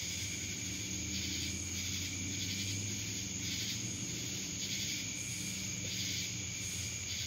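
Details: Cicadas from Dallas, Georgia fill the air with a high, unbroken rasping whir that throbs in gentle waves roughly each second, steady background hum below.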